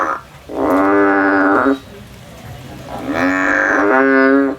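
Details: Male frog in the field calling with long, loud, buzzy bleats, one of over a second, then a pause and a double bleat joined closely together.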